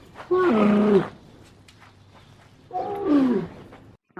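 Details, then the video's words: Two separate moaning calls from a camel, each roughly a second long, with a wobbling, slightly falling tone and quiet background between them. "the sound of a camel,звук верблюда"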